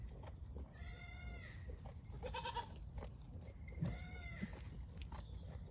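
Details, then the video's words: Goat with loud, high, trembling bleats. A long quavering cry is followed by a shorter buzzy one, then another long quavering bleat, against a low, noisy background rumble. "Funny animal sound in wildlife; little goat, goat"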